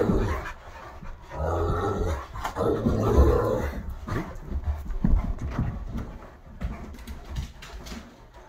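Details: Great Dane, wolf-hybrid and Aussie mix playing rough together in a living room, indoors; rough breathy panting and low scuffling thumps rise and fall in uneven bursts over several seconds.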